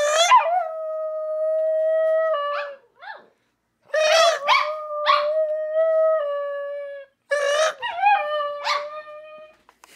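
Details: Howling from Scooter, a household dog, triggered by mouth noises and joined by other excited dogs: sustained level tones held about two seconds, each starting with a sharp yipping onset, in three bouts.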